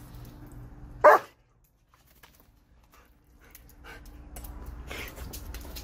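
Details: German Shepherd playing games with water gives one loud, sharp bark near the start, followed by near silence and a few faint rustling sounds.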